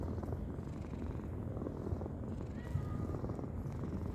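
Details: Napping cat snoring: a steady low rumbling drone that continues evenly throughout, with a faint brief thin whistled tone passing midway through.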